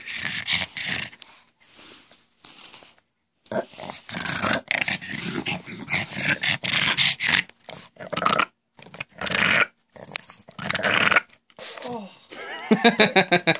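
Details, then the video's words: Pet pug making its constant goblin-like noises indoors: rough snorting and growling bursts, broad and noisy, repeated in rapid uneven runs with short pauses, a whimpering squeal near the end. "CRAZY GOBLIN PUG.. WORLDS WORST SOUNDING DOG.."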